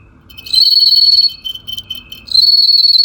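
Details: Group of golden bell crickets housed in a gourd, a traditional Chinese singing-insect setup; clear, high, bell-like ringing in two sustained bursts with a brief stuttering, weaker phrase between them.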